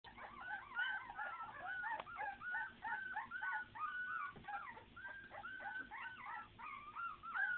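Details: Puppies whining together, a dense chorus of overlapping high, bending whimpers and squeals that rise and fall without pause throughout, several voices calling at once.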